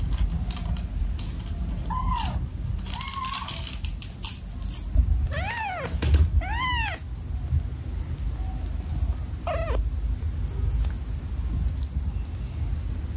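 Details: One of seven domestic cats kept in a home meows repeatedly: a soft meow, then three louder arched meows in quick succession around the middle and a final one later, over a low indoor rumble.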